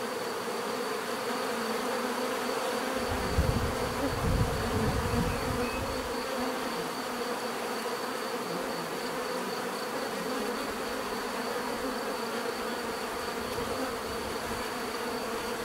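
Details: Bees buzzing in a steady, dense drone with a low hum band throughout; a brief deeper rumble swells for about three seconds near the start, then the even buzzing continues.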